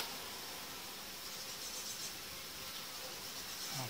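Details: Hive of honey bees during colony unification, the separating boards taken out after roughly five days; continuous even buzzing of many bees, a broad, airy hum without breaks and a faint rise in loudness at the end.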